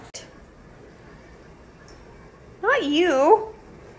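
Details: Cat in a small indoor room, quiet at first, then one drawn-out wavering meow near the end that rises and falls in pitch several times over about a second.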